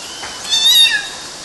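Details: One kitten's single high, thin meow, lasting about half a second and drooping at the end, recorded while kittens climbed mosquito nets in Galati, Romania, June 2012.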